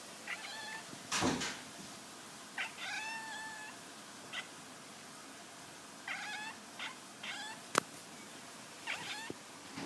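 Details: Cat making odd short calls, brief chirps and rising-falling warbles repeated every second or two over a steady hiss, with a few sharp clicks or knocks.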